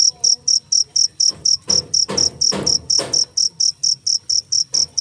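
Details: Cricket giving a rapid train of shrill, evenly spaced chirps, roughly four each second, while a few low thumping knocks sound in the middle stretch.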